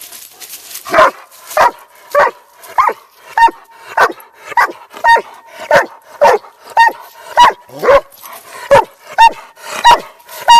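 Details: Rambo, a hundred-pound Doberman, barking into other dogs' ears while they ignore him; short, sharp barks repeated roughly every half second to second, about sixteen in a row, with a person trying to calm him and some music.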